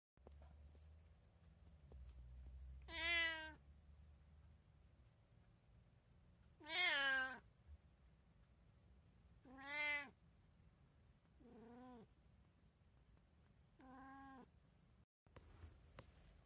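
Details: Domestic cat, one of three pet cats in a household with a tabby, a Munchkin and an Abyssinian, recorded indoors on 29 February 2024: five loud harmonic meows, rising then falling, spaced roughly three seconds apart over a quiet room hum, with a soft voice afterward.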